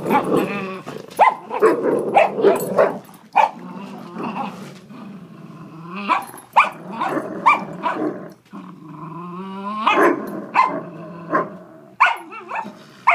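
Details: Two dogs, a big dog and a small fostered terrier puppy, playing tug of war at an office: rough rumbling growls mixed with short sharp barks, bursts coming every second or so, with brief quiet gaps.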